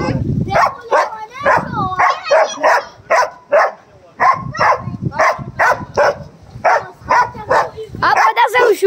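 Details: Angry dogs fighting, barking hard in a steady series of short, harsh barks about two per second, the run briefly pausing mid-way, with people speaking over them.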